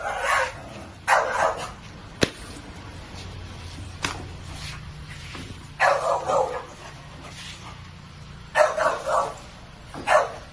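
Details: A French Bulldog sniffling and snorting in short, breathy, noisy bursts, often in quick pairs, spread irregularly over ten seconds above a low steady hum.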